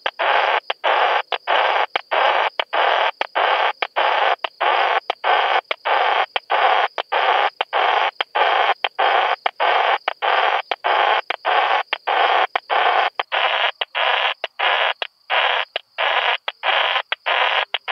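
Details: Song of Krauss's bush-cricket at Solnhofen, Germany, 17 June 2021: rapid, even run of short harsh hissing pulses, roughly two per second, continuing without a break across the whole stretch.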